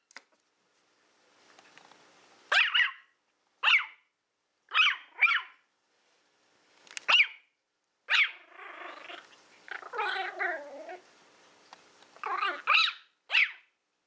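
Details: Female Toy Fox Terrier Willow, born April 2012, playing with a pig's ear indoors, gives a string of shrill, high yapping barks about a second apart, broken by a longer stretch of rumbling, warbling growl before more yaps.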